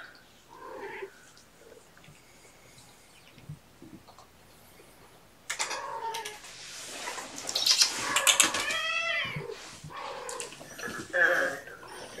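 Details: Kittens from mother Gamora's litter of five, born April 14, during afternoon play time indoors: after a quiet start, a dense run of high, arching mews with bright overtones overlaps and repeats rapidly, fading near the end.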